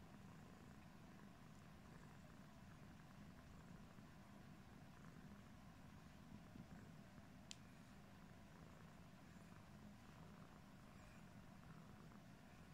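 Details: Yellow British Shorthair cat Pumpkin grooming its face, giving a continuous deep purr without breaks, with one brief sharp click midway.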